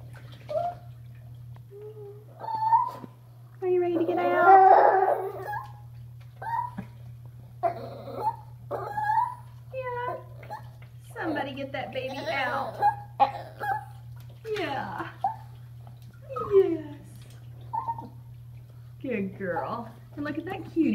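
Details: Female Chihuahua, about to turn eleven, 'talking' during bathtime indoors: wavering, drawn-out whines and moaning yowls in short bursts, the longest near the start, interleaved with a woman's coaxing speech over a steady low electrical hum.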